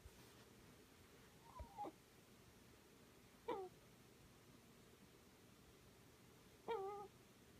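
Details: Scottish Fold cat snoring while asleep: three short, quiet, whistly nasal tones, each falling slightly in pitch, spaced about two to three seconds apart against a soft, steady background hiss.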